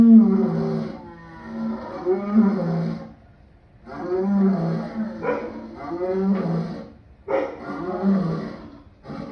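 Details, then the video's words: Lion uttering a long run of raspy, groaning roars in four clustered bouts, each made of several strained pulses, with brief pauses between bouts. "Lion sounds"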